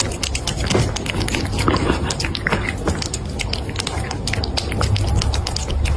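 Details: A Siamese cat chewing a raw chicken head: wet crunches and sharp bone-cracking clicks come several times a second over a low, steady rumble.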